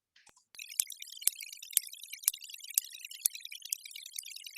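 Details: Sperm whale clicks picked up by a deep-sea hydrophone off Antibes: sharp, evenly spaced clicks about twice a second over steady hiss, which is the hydrophone's own white noise.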